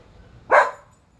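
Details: Whiskey, an Alaskan Husky, pulling on his leash and barking at the neighbors, out of boredom; a single sharp, loud bark rises briefly over quiet background.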